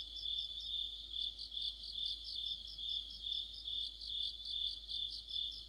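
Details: Mid-autumn cricket chorus with other insects under a street lamp, dense high-pitched pulsed chirping repeated more than twice per second over a steady ringing drone, several singers overlapping.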